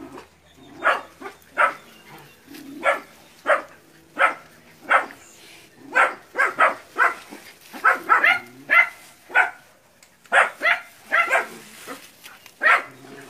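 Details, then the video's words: Puppies barking at a big water buffalo during hunting-dog training in West Sumatra: sharp, separate barks, roughly every half second to second, some higher and yelping, with quiet gaps between. "ANAK ANJING VS KERBAU"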